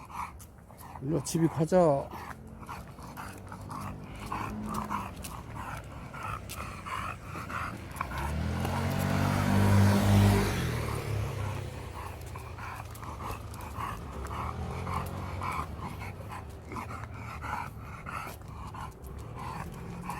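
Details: Kan, a pet dog, sulks after the family comes home from Gageodo island, giving a short burst of high stacked whines early on, then low grumbling and panting under people talking, with a rising rush of noise midway.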